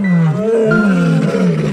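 A lion gives a deep, loud roar that swells and holds steady for nearly two seconds.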